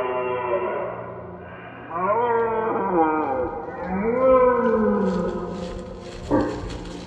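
A red deer roars in long, hoarse, rich-toned bellows that swell and fall in pitch.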